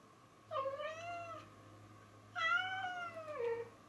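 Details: Female domestic cat playing happily indoors with a toy she found; two drawn-out harmonic meows, the first level then falling, the second rising then sliding down, with a steady low hum behind.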